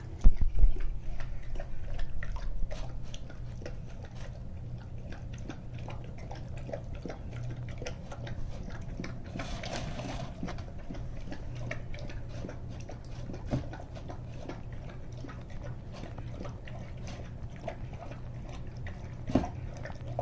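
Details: Rousseau, a Greater Swiss Mountain Dog, eating a turkey and vegetable soup indoors, rapid irregular chewing and lapping clicks, about three per second, under a constant low hum.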